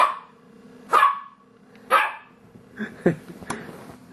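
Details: Dog barking at his own reflection in an entertainment center, thinking it is another dog: sharp loud barks about once a second, then softer huffs and grumbles, with a faint steady hum in the room.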